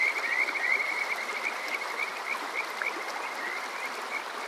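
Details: Kajika frog calling on a summer night at Water Park Shirayama in Yokoze, Chichibu district, Saitama, Japan, recorded on a TASCAM DR-05X: rapid, high, whistled trilling notes repeated about three times a second over a steady rushing stream.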